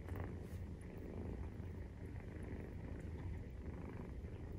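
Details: Low, pulsing purr from a Maine Coon kitten 43 days old, suckling at its mother; the rumble runs without a break, slightly stronger at the start.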